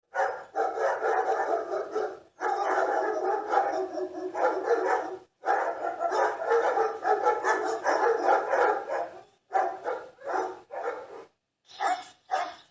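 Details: Barking dogs, several dense overlapping bursts of rough barks in long runs separated by brief pauses, then shorter isolated barks toward the end.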